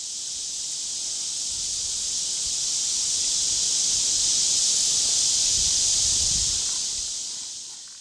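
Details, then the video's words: Cicadas give a steady, high, hissing drone that swells slightly then fades, with faint low rustling and Indigo Buntings in the background, recorded in July 2022 among Gaillardia pulchella flowers visited by many Silvery Checkerspot butterflies. "You can hear Indigo Buntings and cicadas in the background."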